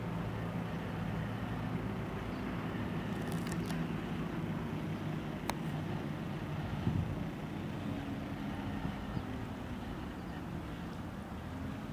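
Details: Steady low rumble of traffic and outdoor noise with a few faint clicks and knocks, and no animal voice.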